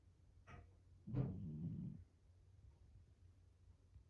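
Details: Shiro, a pet cat curled into a tight ball on a round stool, snores in its sleep: one brief breath, then a single raspy, low, rumbling snore lasting about a second, followed by quiet.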